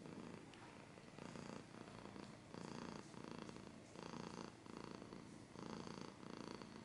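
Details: Cat purring at close range, low rumbling pulses swelling and fading roughly every second, alongside soft scratching sounds.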